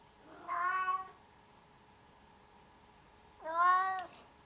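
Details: Cat meowing twice, about three seconds apart, each call under a second long, rich and harmonic, the second one louder and slightly falling in pitch, against a quiet humming background.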